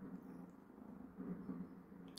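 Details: Young calico cat, just fallen asleep and then woken indoors, giving a low, steady, rumbling purr that swells slightly midway through; a faint rustle comes at the end.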